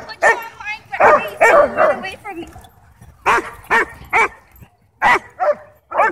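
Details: Barking at a dog park from a ball-possessive German Shepherd and Bodhi, who provokes it in play; loud, rough barks in quick clusters with short gaps, human voices mixed in.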